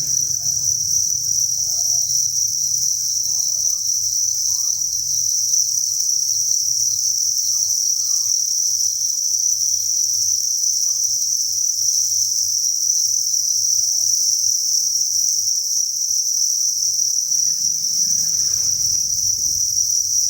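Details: Inside a cricket breeding facility, a chorus of thousands of crickets rings as one constant shrill hum; low rumbling near the start and a short burst of rustling noise near the end.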